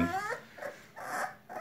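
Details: Brun, a four-week-old singleton puppy born to Geddy and Sparkle, whimpering indoors: short, tonal, harmonic whines in about three bursts with brief pauses between them.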